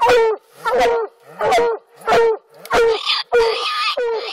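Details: Coonhounds treeing a raccoon during a coon hunt in Alabama, black and blue dogs; loud drawn-out bawling barks, harmonic and falling, repeated about every half second with short gaps.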